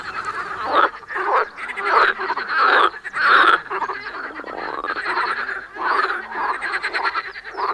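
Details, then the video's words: Frog giving loud, raspy croaks in irregular bursts about once a second, each croak a grating rattle, with quieter overlapping croaks from other frogs between them. "The Animal Song: Cow, Geese, Frog, Rooster, Chickens, Pigeons."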